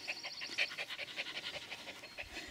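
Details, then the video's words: Ellie, a Shetland Sheepdog (Sheltie) puppy, excited to greet her owner arriving home and playing with his feet; quick, breathy, rhythmic panting puffs, roughly six per second, steady throughout, with faint bird chirps in the background. "Sheltie Puppy Excited to See Me"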